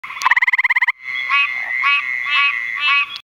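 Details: A male eastern gray treefrog (Hyla versicolor) gives a brief, loud, musical trill of rapid pulses, with Pine Barrens treefrogs (Hyla andersonii) calling behind, New Jersey, May 2011.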